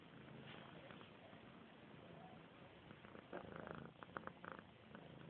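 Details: Tinker, a workplace cat, purring close by indoors: a low, steady rumbling hum throughout, with brief clicks and rustling bursts around the middle and end.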